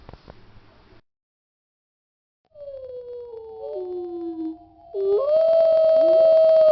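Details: Wolf howl: a long, smooth tonal wail that slides gently downward, then a steadier, louder sustained note with rich overtones, preceded by a short noisy burst and silence.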